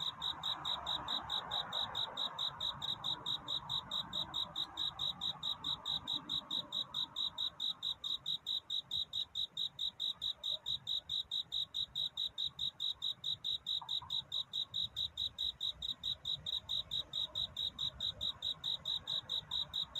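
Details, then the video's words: Courting cricket on a night before dawn, its song a fast, regular train of high, bright chirps that keeps an even beat throughout, over a soft murmur of distant background noise. "편안한 잠을 부르는 귀뚜라미 울음소리. 슬퍼 말아요 우는 것이 아니라 사랑을 찾는 노래랍니다 구애의 밤"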